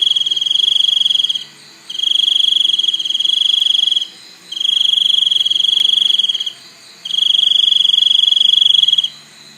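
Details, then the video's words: A cricket trills in long, high, ringing bursts of about two seconds each, separated by short half-second gaps, steady and loud throughout. "សំឡេងសត្វចង្រិត ។ Crickets sound"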